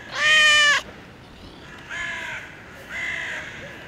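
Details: Park-dwelling cat meowing towards a balcony, begging for food; one loud, long, tonal meow followed by two softer, shorter meows about a second apart, over quiet outdoor background hum.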